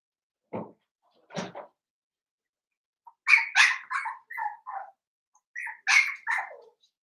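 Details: Blenheim Cavalier King Charles Spaniel puppies in an indoor home puppy pen, one of a litter of five, giving a few short low yips followed by a burst of high, squeaky barks and yelps in quick succession.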